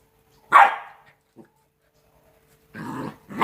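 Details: Two-month-old Rottweiler puppies at play: one sharp, rough yelp-bark, then a short pause before a burst of scuffling growly noise and another yelp starting at the end.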